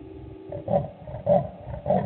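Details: Wild male leopard walking past on patrol at Gowrie dam waterhole, Djuma Game Reserve, Sabi Sand Wildtuin, South Africa, at 00:35 on 19 June 2019, taken by a live waterhole camera; deep rasping grunts repeat roughly every 0.6 seconds.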